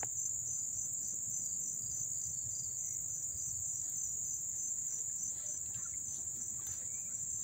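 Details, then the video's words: Crickets heard from close by in Dobbs Ferry, New York, August 1, 2014: a dense, even high-pitched buzz that never stops, with softer rhythmic chirps pulsing just beneath it. "the chirping of the crickets"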